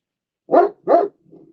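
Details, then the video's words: German Shepherd indoors barking at another dog being walked outside by its owner, alerting the household: two loud gruff barks in quick succession, then a soft low grumble. "is a German Shepherd. He's barking at another dog getting walked"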